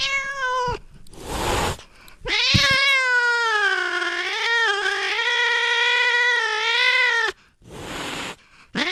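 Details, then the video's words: Domestic cat sound to chase rats away: a brief meow and a noisy burst, then a long, loud, wavering yowl of several seconds with rising and falling pitch, ending with short harsh bursts. "Tiếng mèo kêu đuổi chuột hiệu quả, chuột sợ bỏ chạy té khói Sound of Cats to scare the Rats"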